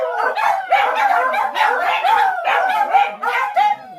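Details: Dog giving short bursts of yowling, yipping howls in quick succession, each rising and falling, about five bursts.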